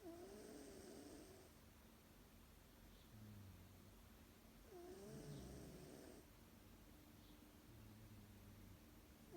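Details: Pet cat, a female, asleep at lunchtime and snoring steadily: low droning rumbles alternate with a soft whistling wheeze and breathy hiss, the cycle repeating roughly every five seconds in a quiet indoor setting.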